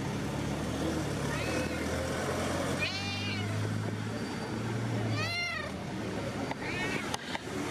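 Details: Friendly street cats greeting and demanding attention outdoors; several arched, harmonic meows rise and fall, with a soft one near the start and two clear ones in the middle, over steady traffic rumble and distant voices.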